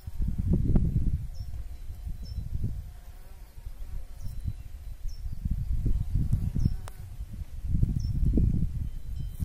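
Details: Pollinating bumblebee buzzing in repeated low, droning passes that rise and fall in loudness. A faint high chirp repeats about once a second in the background.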